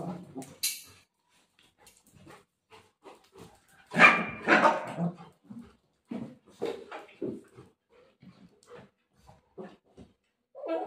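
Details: Golden Retriever in play fight with its mother: mostly soft, scattered grunts and growls, broken by one loud, harsh bark-like outburst near the middle and a few sharper yips.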